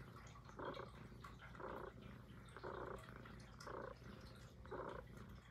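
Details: Puff, a Highland Lynx cat, purring steadily indoors; a low, even rumble underlies breathy bursts that recur roughly once per second, five in a row, close to the microphone in a quiet room.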